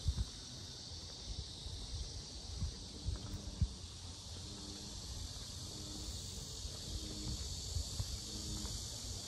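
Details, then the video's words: Cicadas at the Sinjeongho lotus park in Asan, South Korea, described as very loud: a steady, dense high-pitched buzzing drone without breaks, over low rumbling background noise and a few soft knocks. "매미소리 주의"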